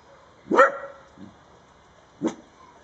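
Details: Dachshund on guard at a gate protecting a rabbit gives two abrupt barks about 1.7 seconds apart. The first is louder and sharper, with a soft grunt between them.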